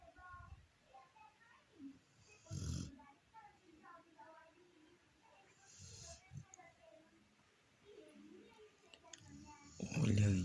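A sleeping Rottweiler snores in low, rumbling breaths while a man chats and laughs nearby.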